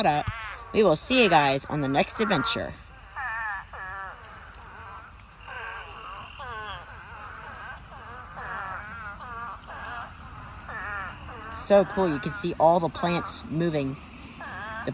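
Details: Spadefoot toads in a huge pond mating swarm of thousands give a continuous chorus of quavering, moaning wails that overlap constantly, with a person talking loudly over the calls at the start and near the end.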